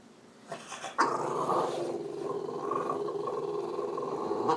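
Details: A French Bulldog grumbles and whines in a long, steady, throaty moan, demanding that its owner get off the computer and go outside.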